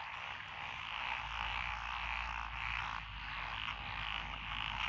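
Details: In lotus rice fields along a country lane at Echizen, Fukui, Japan, recorded 12 June 2021, a mixed chorus of Japanese tree frogs, pond frogs, wrinkled frogs and green tree frogs gives dense, pulsing croaks in repeated surges, over a soft low hum.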